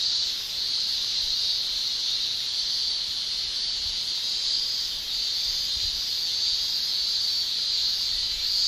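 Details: Male cicadas in summer in Japan shrilling with their tymbals: a steady, dense high-pitched hiss-like drone that holds unbroken throughout, with faint gentle swells in loudness and no other clear sounds.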